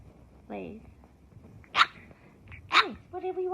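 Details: French Bulldog puppies in a home: a high falling yelp, two sharp squeaky cries about a second apart, then a steadier nasal whine, with quiet room sounds between.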